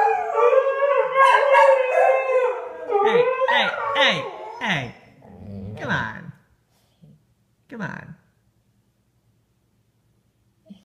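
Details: A Siberian husky, provoked by an English springer spaniel, gives sustained wavering howls rising and falling in pitch, breaking into shorter yelping, whining notes, a brief quiet gap, then a few sharp yips.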